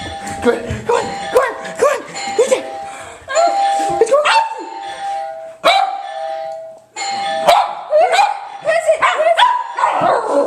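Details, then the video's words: Two pet dogs, one much keener, are set off by a doorbell sound from a computer. Clusters of quick barks alternate with the ringing ding-dong, and a person keeps coaxing them and asking who is there. "Dogs go crazy to doorbell sound!"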